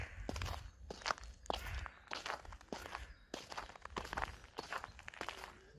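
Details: Quiet crunching footsteps and rustles repeating irregularly, with no animal call heard.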